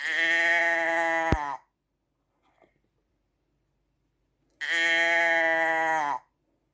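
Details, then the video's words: Two long sheep bleats, each about a second and a half, steady and harmonic with a wavering close, separated by a quiet pause with a brief click. "ASMR Schaafgeräusch 1 Stunde Sheep sound"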